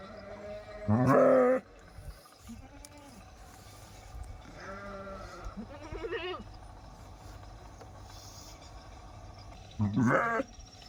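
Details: Sheep bleats with background murmur: one loud wavering bleat near the start, fainter bleats in the middle, and another strong bleat near the end, separated by low ambient noise.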